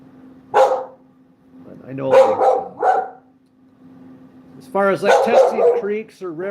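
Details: Dog barking in short, rough bursts, three sharp barks spaced about a second apart in the first seconds, followed by a person talking over a steady low hum.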